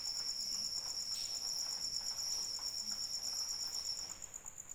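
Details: High, rapidly pulsed cricket trill heard in rain, continuous until it drops away near the end, with light rain patter and occasional drips beneath.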